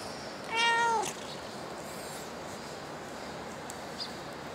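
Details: Single short meow from a cat at Dockyard Garden, early morning of 10 August 2016, clear and tonal with a slight upward bend, followed by steady hum and a faint distant click.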